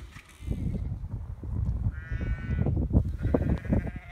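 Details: Sheep from a small herd of ewes and lambs being chased out of a field shared with beehives. A few harmonic bleats, one wavering bleat in the middle, over heavy low rumbling and footstep-like noise.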